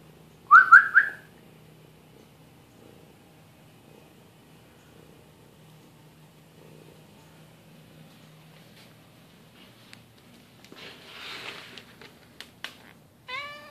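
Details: Kitten wandering into a garage while front brake pads are changed on a Ford Explorer SUV; a brief high, rising meow near the start and another short one at the end, with a low hum, a soft whirring burst and clicks between.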